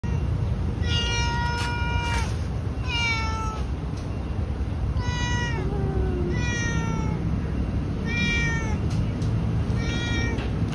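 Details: A talkative cat meowing repeatedly, about six drawn-out, slightly falling meows spaced one to two seconds apart, over a loud, steady, low-pitched background rumble.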